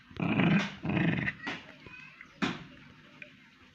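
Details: Pomeranian dog giving two short low growls followed by sharp snarl-like bursts and quieter sounds, with a person speaking Tamil nearby.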